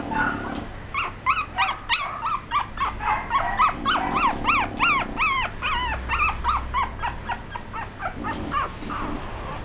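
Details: A young female Chihuahua, whose ears are nearly standing, gives rapid, high-pitched yips and whines, several each second, in a restless stream.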